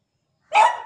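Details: Pet dog barking to get a sleeping dog to wake up and play a morning play-fight; one short, sharp bark with a sudden onset and a quick fade. A woman's voice follows, asking why it is yelling.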